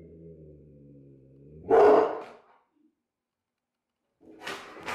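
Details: A Rottweiler, said to be scared, reacts indoors to a person in a T-rex costume posing as a burglar. A low, steady droning tone runs for almost two seconds, then one loud, harsh bark. A short silence follows, then rustling bursts.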